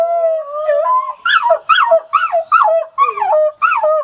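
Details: Wolf pup trying out its howl, a steady thin tone that leaps higher, then a quick series of about seven short, warbling yip-howls, each rising then dropping, close and loud.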